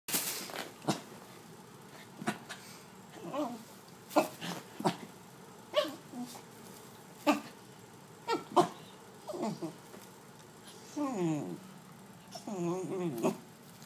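A Pembroke Welsh Corgi gives short grunting yips, then drawn-out wavering whines that rise and fall.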